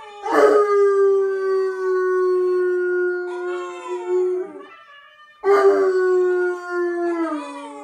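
A bloodhound howls twice, each cry starting with a sharp onset and then sustaining a rich, low, drawn-out tone. Toward the end of each howl the voice breaks into wavering, yodel-like inflections before fading.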